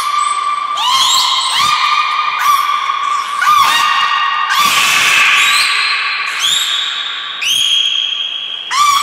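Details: Belugas Niko and Mirai in training at Port of Nagoya Public Aquarium, 29 February 2020: a run of loud, rich harmonic whistles, each swooping up and then holding steady. The calls come back to back, some overlapping, with a brief noisy burst midway.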